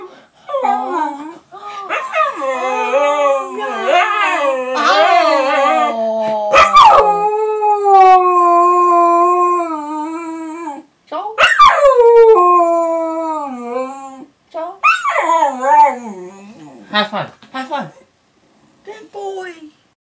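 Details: Pet dog Charlie howls loudly in a small room, long wavering notes that rise and fall in pitch, some drawn out for several seconds, separated by brief breaths and short yipping breaks.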